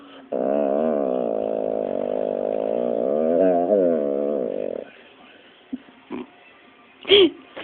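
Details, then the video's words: Pit Bull Dropsik 'talking' back during a scolding: one long, wavering, vibrato-laden moan of more than four seconds, rising and falling like speech, followed by a few short clicks and a brief sharp squeak. "mówiący pies Dropsik funny talking dog pitbull"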